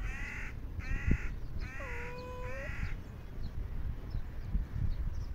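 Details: Outdoors, a stray cat waiting for food being delivered by car gives a quick series of short, nasal, tonal meows, then a longer dipping meow, against constant low rumbling background noise.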